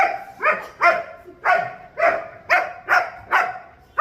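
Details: German Shepherd dog barking loudly, about seven sharp, harsh barks in quick succession at roughly half-second intervals.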